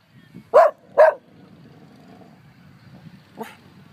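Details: Pet dog barking at nobody in Humbolt Park: two loud sharp barks in quick succession, then a fainter third bark after a pause, with low outdoor background noise.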